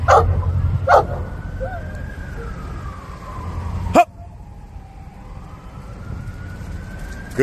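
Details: Boerboel puppy Shaka, 16 months old, during training in a busy public setting in New York; short sharp barks near the start, middle and end over a long wailing police siren and low city rumble.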